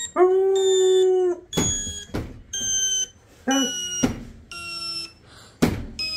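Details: A Labrador Retriever puppy (Canis familiaris) gives a steady, level howl, then breaks into short yips and whimpering cries.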